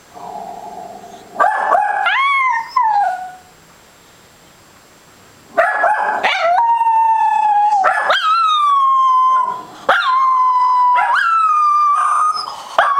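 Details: Zoey, a female Scottish Terrier, howls along as a Westie barks at animals on TV: short barks break into long, wavering, mid-pitched howls that hold steady for a second or more before dropping.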